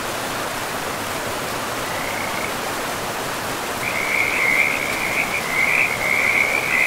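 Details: Beside a river in a pristine forest, a faint frog trill appears briefly, then a louder, high, pulsing trill builds and continues to the end, over steady rushing water.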